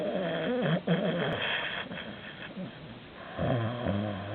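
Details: Sleeping Canadian Sphynx cat snoring very loudly, likened to a drunk old horse: rough, buzzy, harmonic snore through the first second, a quieter stretch, then another loud wavering snore near the end.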